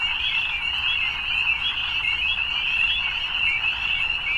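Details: Evening frogs in full chorus, a thick high-pitched trilling with slight pulsing texture, continuous and steady, little else audible beneath it.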